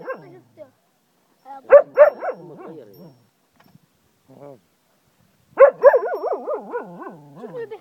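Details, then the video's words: Pet Cocker Spaniel in Ajloun, Jordan, howling like a wolf: strained bark-like onsets sliding into quavering, warbling howls with fast pitch wobbles, one burst around two seconds in and a longer wavering howl near the end, fading gradually. "cocker spaniel howls like a wolf"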